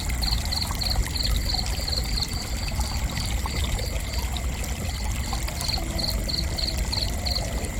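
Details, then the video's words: Cricket chirping: high, thin pulsed chirps in quick regular bursts, laid over a loud, steady rushing, trickling water-like background. "Gentle Cricket Chirping"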